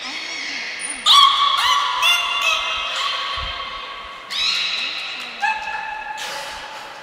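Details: Beluga named Niko during a training session at Port of Nagoya Public Aquarium, Japan, 25 February 2024: a series of bright harmonic tonal calls, some sweeping upward, others held steady, with a faint low voice-like contour underneath.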